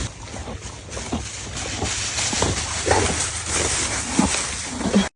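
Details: Horses eating, heard as steady crunchy chewing with rapid irregular bites and rustling, ending abruptly.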